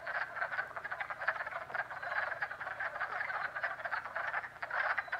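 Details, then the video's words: Springtime dense pond chorus of frogs in Jackson, New York, rapid croaks and trills overlapping without a break. "FROG POND CALLS JACKSON, NY"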